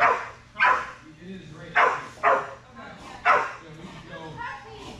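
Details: Strider the Belgian Malinois barking eagerly at dock diving practice (Fetch-It, air retrieve), 10.25.22: four sharp, bright barks spaced irregularly about a second apart, interspersed with quieter whines and a person's encouraging voice.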